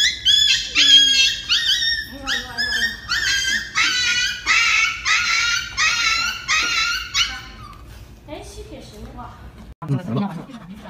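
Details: Dog yelping while getting an injection, a rapid series of high, sharp cries repeated over about seven seconds, then fading into quieter whimpers, with people speaking Chinese apologising nearby.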